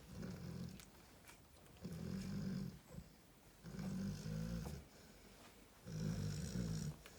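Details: Narla, a female Cane Corso resting with her puppies, snores in deep, rumbling breaths that swell roughly every two seconds, with quieter gaps between each low, throaty snore.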